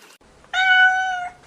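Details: A domestic cat gives one drawn-out meow lasting under a second, held at a steady, even pitch with a clear, rich tone. The background is quiet.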